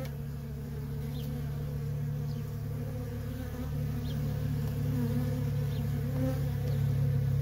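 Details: Worker honey bees in nonstop traffic at a feral colony: a dense, steady low hum with layered droning bands, and a deep rumbling undertone.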